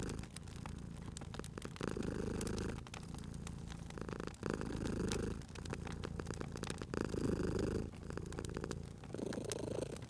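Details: Cat purring close by at a crackling fireplace: a low, buzzing rumble that swells and fades in slow, even breaths, with the fire's snapping crackles clearly heard.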